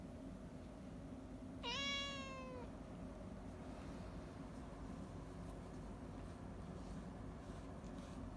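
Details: Domestic cat meowing in the morning while being brushed: a single clear, slightly falling meow lasting about a second, with rich harmonics, over a steady low background hum.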